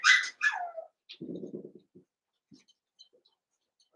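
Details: Indoor play among Cavalier King Charles Spaniel puppies, Daisy's six merged with Robin's two: two loud falling yelps, a short low rumbling growl, a few soft grunts, quiet gap, then another low sound at the end.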